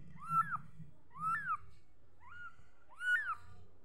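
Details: Small kitten producing four thin, high mews, each climbing then falling sharply, spaced about a second apart over low muffled background noise.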